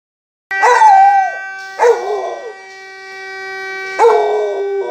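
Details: In the evening, during aarti, a Rottweiler howls in wavering bursts over the steady, droning blast of a conch shell.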